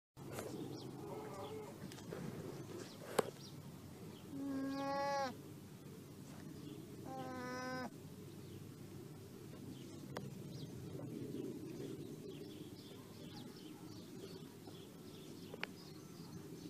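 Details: Two short, nasal, harmonic-rich llama cries about three seconds apart, each lasting under a second, over a low steady background rumble with scattered clicks and knocks.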